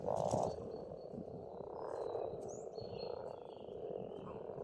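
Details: Frogs croaking in spring at an Estonian farmstead pond, opening with a loud close burst, then settling into a steady rolling chorus; thin bird whistles and chirps drift over the top.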